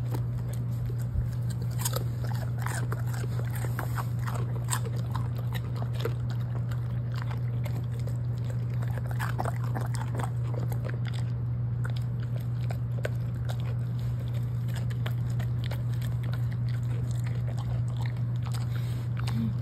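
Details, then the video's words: Large pet Golden Retriever chewing cabbage indoors: a dense run of small, quick crunching and munching ticks throughout, fairly even, with a constant low electrical hum beneath. "양배추 먹방 asmr 간식킬러 댕댕이"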